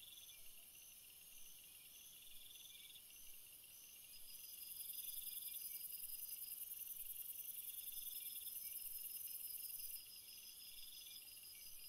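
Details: Crickets by a field of flowers: faint, very high, thin trilling tones in overlapping pulsed bursts of a few seconds each, swelling to a brighter, denser shimmer in the middle before easing back, over a soft background hiss.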